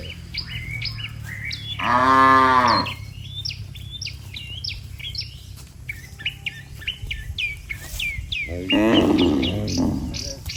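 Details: Dozens of cattle lined up neatly on a road, mooing to call the herd home. Two drawn-out harmonic moos about seven seconds apart rise over steady bird chirps and twitters.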